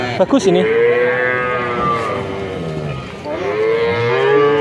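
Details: Young male calves from a purchase of 19 head at Grabag, Magelang Regency, Indonesia: a long, level, fairly high moo, a pause, then a second drawn-out moo that bends upward, with farmyard chatter beneath.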